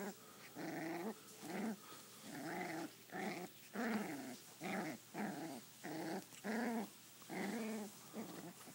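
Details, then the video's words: Rhythmic play growling from a five-week-old sheepadoodle puppy named Butterscotch during play fighting: short, rasping growls repeated roughly every half second, about a dozen pulses at steady loudness. "5 Week old Puppy Play Fighting"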